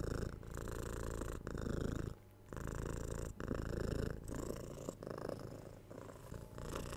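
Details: House cat purring near the recorder, a deep vibrating rumble in repeated breath-length pulses, with one noticeable quiet gap of about half a second before the purr resumes.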